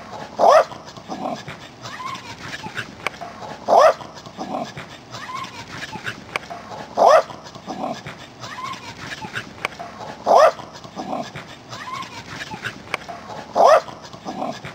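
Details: Welsh Corgis Angela and Rosemary dash around, and a brief high rising yip comes back regularly, roughly every three seconds. Between the yips runs a steady scrabbling, rustling background of paws and motion.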